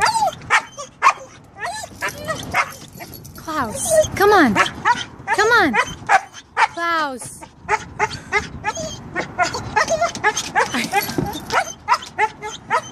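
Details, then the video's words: Klaus the Siberian husky will not jump out of the car for a dog park visit, answering with drawn-out, bending whine-howls and choppy yips that climb and fall, mixed with a person's repeated urging. "Husky won't get out of the car"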